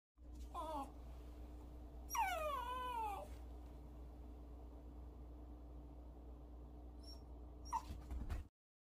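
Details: Pet dog indoors at home, giving a few high whimpers: a short whine, then a longer wavering whine sliding downward, and a faint yip near the end, over a steady low hum.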